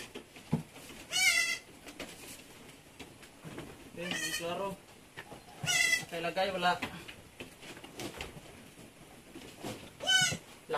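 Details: Goat giving birth at Terra Grande Farms, an Anglo-Nubian goat farm in San Carlos City, Negros Occidental, Philippines, where seven kids were born in one day; four loud, quavering, harmonic bleats spaced a few seconds apart over a low background murmur.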